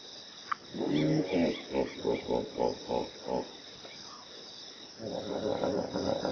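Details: A hippopotamus (Hippopotamus amphibius) gives a deep, drawn-out honk, then a rhythmic run of booming grunts.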